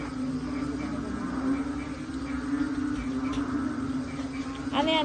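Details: A loud, dense frog chorus, at first mistaken for a machine, blends into a steady low droning hum before rain expected that night; a person speaks near the end.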